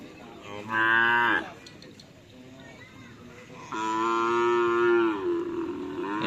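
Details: Cattle at a karapan sapi bull racing training session on a field in Asemanis, Pamekasan, Indonesia; two loud, harmonic lowing moos, the first short and level, the second longer and falling slightly at its end, with faint background chatter.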